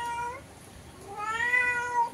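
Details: Cat calling through a window toward an unseen cat outside: two meows, a brief falling one and then a longer, louder, wavering wail near the end, in a small quiet room.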